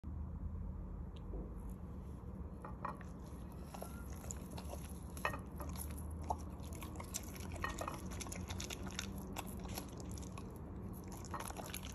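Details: Crunchy chewing and clinking of a dish over a steady low indoor hum, with no animal calls.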